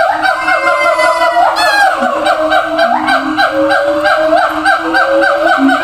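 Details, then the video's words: Zoo siamang shouting to communicate with apes in other, distant cages: dense, loud honking whoops over a constant low hum, with a sharp rising shriek near the start and descending swoops later. "gibbons sound"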